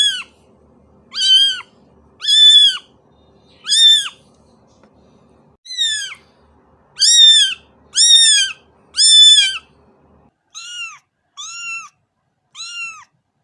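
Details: Cat giving a run of about a dozen short, arched meows, roughly one per second, with the final three noticeably softer and thinner; otherwise quiet background.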